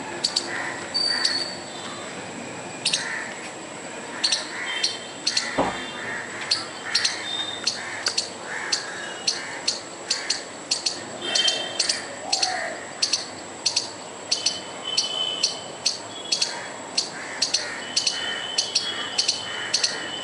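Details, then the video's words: A squirrel sounds off furiously in an attempt to scare off a dog and a person, giving rapid runs of sharp clicks and chips, some in quick bursts, with a brief thump near the start. "squirrel trying to scare a dog and me by making furious noise"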